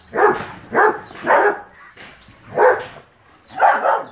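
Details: Loud, rough barks from a German Shepherd dog, delivered in an uneven series of five: three in quick succession, a pause of about a second, then two more.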